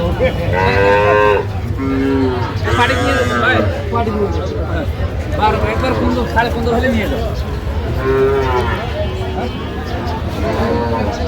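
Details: Calves at a Bangladeshi cattle haat in Aftabganj, Dhaka, on 9 November 2025, with heifer calves being bargained over; repeated short lowing moos roughly every one to three seconds, several animals overlapping, with men talking prices close by.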